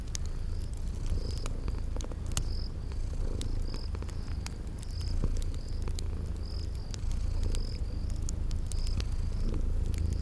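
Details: Low rhythmic purring of sleeping kitties runs throughout, while fire crackles snap and high cricket-like chirps repeat steadily within a spring garden ambience.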